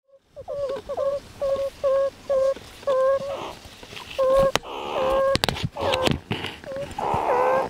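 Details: A subordinate meerkat makes submissive grovelling noises, quick short squeaky peeps followed by harsher rasping bursts, to the group's dominant female after prematurely bringing a pup above ground.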